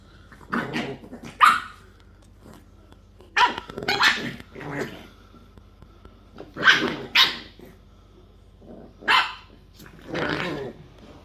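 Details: Four English bulldog puppies at play giving short, high, yappy barks with some growling, in quick bursts and pairs spread through the recording, with quiet gaps between them.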